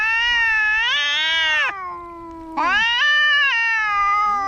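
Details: Cats fighting, with sustained high wailing yowls that rise and hold, a brief low moan in between, then another long harmonic howl.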